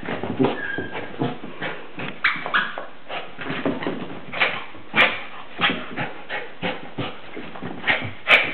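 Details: Excited West Highland White Terrier yelping and whining in quick, uneven bursts, some notes drawn out into thin high whines, the loudest yelps standing out near the end.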